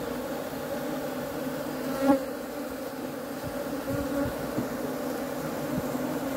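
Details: Continuous low-pitched humming drone of honey bees, even throughout, with one short louder buzz passing near the middle.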